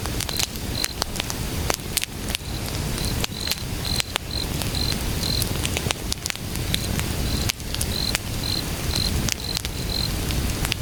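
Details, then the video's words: Cricket calling at night outdoors beside a crackling wood campfire: short high chirp pulses repeated in groups of two or three, steady through the recording, over sharp pops and snaps of burning firewood. "불멍 야간 야외 장작타는 소리와 귀뚜라미소리"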